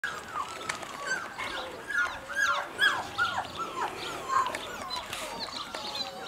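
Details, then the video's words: Seven-week-old female puppy whimpering and whining continuously, with overlapping high, thin, bending cries that rise and fall in quick succession, several per second, over a quiet background. "Girl 7 weeks old"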